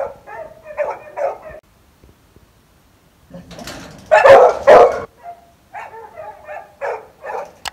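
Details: Labrador Retriever barking: quick, tonal yaps in short clusters, then a silent pause, then two loud, harsh, broadband barks near the middle, followed by further lighter barks repeated at an irregular pace.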